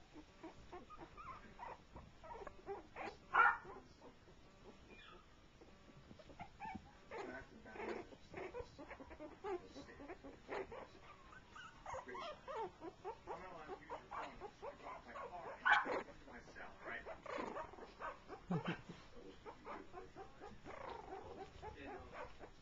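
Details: Playful whimpering from shorty Jack Russell Terrier pups aged three weeks, meeting for the first time, joined by a four-month-old pup; intermittent high squeaks and brief whines spread across the recording, with a few louder yelps.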